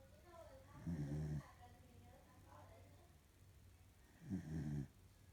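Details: Two low, gravelly snores from a sleeping female corgi, about three and a half seconds apart, with faint voice-like sounds in the pauses.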